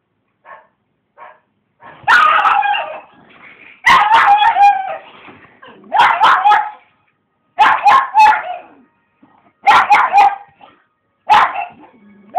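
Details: Female pug barking excitedly at the television indoors: a few soft yips, then loud sharp barks in bursts of two or three, about six bursts over twelve seconds with short pauses between.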